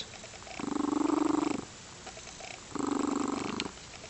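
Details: Crystal, a female Lynx Point Siamese cat described as happy and loving, gives two rumbling purr phrases. The first, longer phrase lasts about a second, then a short pause, then a second burst.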